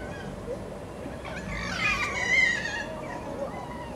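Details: Foxes sunbathing give a single loud wavering cry with stacked harmonics, rising and then falling over about a second, against a low background hiss. Their sunbathing noises are said to match their mating noises.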